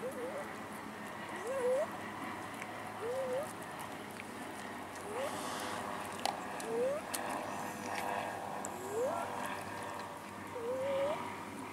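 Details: Cats left behind in a hometown city park beg for food, giving short upward-sliding meows roughly every one and a half to two seconds, with quiet voices and outdoor noise behind.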